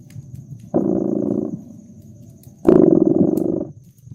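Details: Cat purring beside a crackling fireplace in a cozy winter setting: two loud, rumbling purr phases about a second long, separated by a softer, lower rumble, with faint sharp crackles from the fire.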